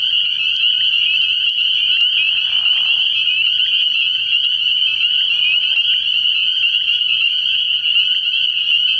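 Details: Spring peepers calling at night at a frog pond early in the year: a dense, unbroken chorus of high peeps merging into a steady shrill wall of sound, with brief softer lower trills around two and five seconds.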